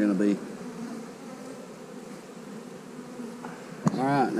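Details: Honey bees on split day while hives are divided and queen cells sit in the splits: a steady low droning hum fills the middle, with a man's voice briefly at the start and end and a sharp knock near the close.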